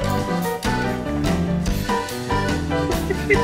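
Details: Jazzy instrumental music with piano, bass and drums plays steadily throughout, with no animal sound heard.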